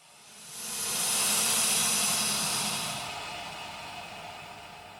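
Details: American alligator hissing: one long breathy rush of noise that swells over a second, holds, then slowly fades, steam-like with no tone.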